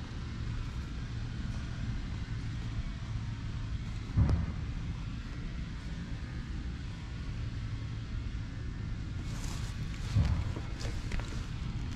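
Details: Low, steady traffic rumble with two louder passing thumps, and no animal voices.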